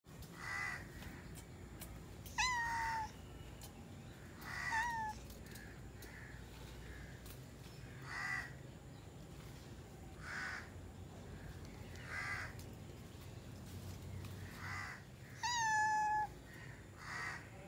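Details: A domestic cat meows several times, short mid-pitched calls at irregular intervals, one drawn-out falling meow near the end, with soft clicks and a low background hum.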